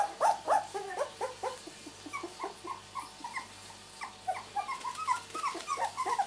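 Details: Miniature Labradoodle puppies two weeks old, born 31 July 2009, whimper and squeak in quick short yelps, several bright cries at the start then a steady patter of smaller overlapping squeaks over a low hum.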